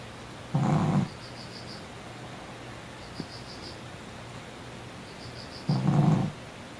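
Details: Sleeping dog snoring loudly, two deep rasping breaths about five seconds apart, with a faint high repeated chirping of insects in the background between snores.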